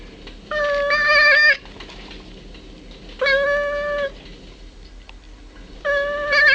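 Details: Caleb, a domestic cat nicknamed the Lubz, calling toward birds on 1.25.09: three clear, sustained, even-pitched meows about a second long, spaced roughly every two to three seconds, against a quiet indoor background.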